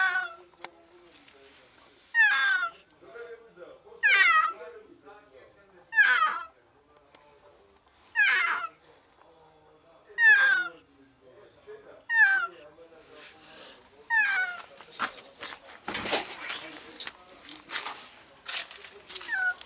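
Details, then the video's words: Sick female cat trapped on the ground floor of a walled alley, meowing desperately for help: loud, strained falling meows repeated about every two seconds, with a burst of rustling noise near the end. "Cat trapped in an alley desperately meows for help"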